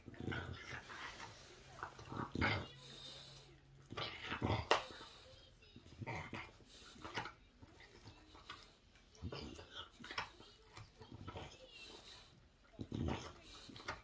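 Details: An English Bulldog chewing a bone noisily, with wet smacking, crunching bursts and snuffling breaths.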